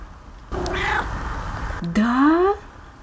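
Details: Domestic cat crying indoors while watching a laughing dove: a drawn-out wavering meow, then a second rising, whining meow about half a second long, with a woman speaking around it.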